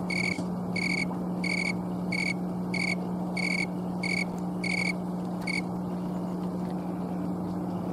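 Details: Snowy tree cricket (Oecanthus fultoni), also called green tree cricket, singing outdoors in Colorado on an October 11, 2022 afternoon, late in the season. Clear, pure-toned chirps repeat about every 0.6 seconds, nine in a row before stopping, over a steady low hum.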